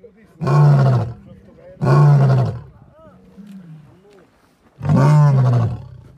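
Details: A nearby lion (Panthera leo) gives three deep, rasping roars, each about a second long, with quiet pauses between.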